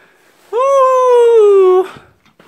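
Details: Pet dog howling like a wolf: one steady, clear, tonal howl lasting just over a second, held level and then sliding gently downward before cutting off.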